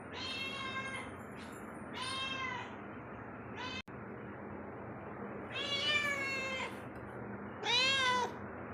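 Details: Pet cat moving around inside a house utters a run of meows, some brief and some longer and wavering, the last ones louder and rising-falling, with a soft hiss underneath.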